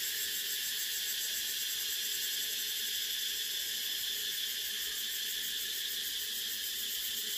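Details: An unbroken, intense high buzz of cicadas fills the whole stretch, dense and even with rapid pulsing and no other sounds.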